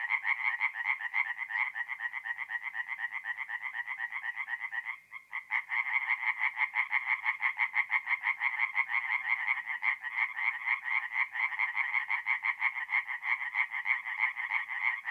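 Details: Singing tree frogs at a forest pond by night, mid-April, North-East Italy: a continuous chorus of fast, pulsed, rattling croaks that briefly drops out near the fifth second, then resumes at full strength.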